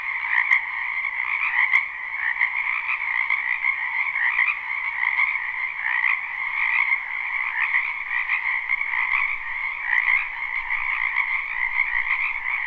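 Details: Many frogs croaking in a spring wetland behind a house, live unlooped recording: a dense, unbroken chorus of overlapping pulsed trills in two steady tonal bands, rising and falling slightly, with no other sounds.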